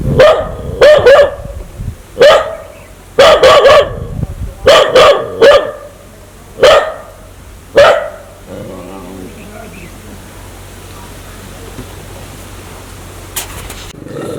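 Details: Dog in an aggressive mood, wanting to bite people, barks hard and irregularly, single and doubled barks over about eight seconds, then falls silent while faint low murmuring and background noise remain.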